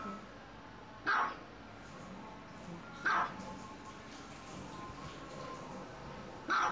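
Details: Dogs romping at home give three loud, abrupt barks, the first two two seconds apart and a last one after a longer pause, over a quiet indoor hush.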